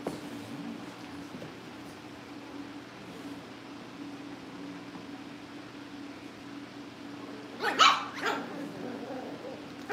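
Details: Cavalier King Charles Spaniel puppies at a family home kennel, getting ready for family pick-ups: a long quiet stretch of steady low hum, then two short, sharp puppy barks in quick succession near the end.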